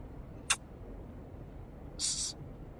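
A snow leopard gives a short, breathy hiss, preceded by a sharp click.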